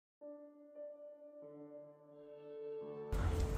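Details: Soft ambient music with sustained layered tones, ending in a sudden loud burst of broadband noise.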